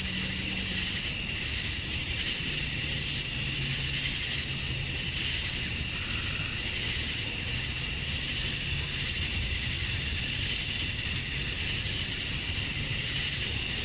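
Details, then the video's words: Summer-dusk chorus of male cicadas in Georgia, USA, chirping to draw females: a continuous piercing high whine over a wavering mid-pitched buzz, with faint low rumbles in the background. "Cicadas at Dusk, Summer Night"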